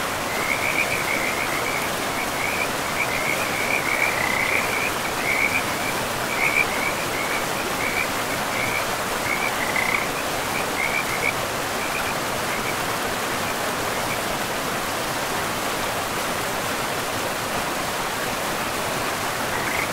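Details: Frogs calling beside a river deep in a pristine forest with moss-covered land; short, high, rattling croaks come in a near-continuous chain for about fourteen seconds, then fade, all over the steady broad rush of flowing water.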